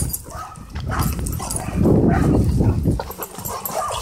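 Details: Wrestling dogs at play in a dog park make throaty, gravelly growls in irregular pulses, loudest around the middle, over a constant scuffle of movement.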